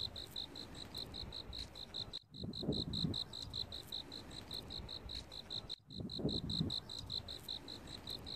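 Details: Steady series of sharp, high cricket chirps, about four or five each second, recorded in autumn over a low hum with occasional thuds, broken twice by momentary silences.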